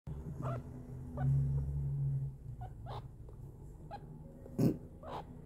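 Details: A meerkat (Suricata suricatta) gives a low, rumbling growl followed by short, sharp chirps and clicks.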